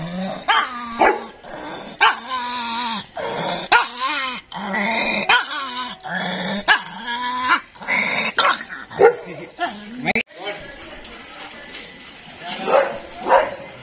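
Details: Dog at a training school and dog hostel in Jodhpur, recorded 26/9/22, barking repeatedly in an irregular, excited series of loud, harsh barks mixed with short whines and yips, about a dozen bursts over fourteen seconds.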